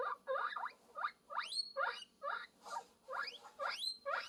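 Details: Guinea pig calling for love, giving a run of loud rising squeals that sweep upward into high whistled peaks, about two calls a second with short gaps between them.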